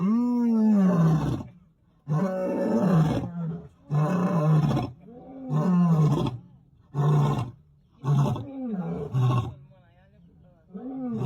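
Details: Lion on safari in Senegal, described as making noise: a series of deep, drawn-out moaning roars, each one to two seconds long with a rising-then-falling tone, separated by brief pauses and growing shorter toward the end.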